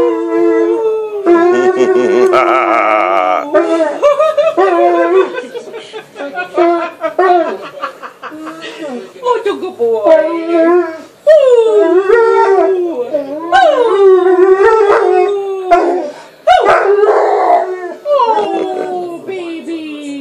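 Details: Shadow, a 15-month-old male American Akita, howls for his mommy indoors while nibbling at her in a small room: long wavering harmonic moans that rise and fall and run nearly unbroken for twenty seconds, with a person's voice mixed in at times.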